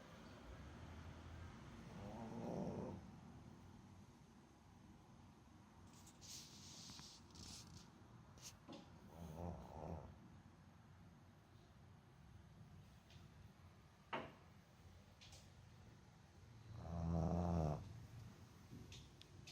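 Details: Boston Terrier named Botan fast asleep, snoring heavily: low rumbling snore bursts near 2.5, 9.5 and 17.5 seconds, separated by quiet breathing, with a few faint clicks and rustles in a quiet room.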